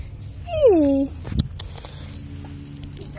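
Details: Affectionate gray tabby cat, met by chance during a walk, gives one drawn-out meow that starts high and slides smoothly down. A sharp tap follows, then a low steady outdoor hum.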